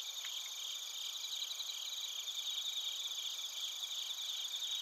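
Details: Bell crickets and other crickets recorded in Narita, Chiba, Japan, on a TASCAM Portacapture X8: a dense, steady chorus of high shimmering trills and rapid pulsed chirps, several bands layered continuously, with a faint low rustle beneath.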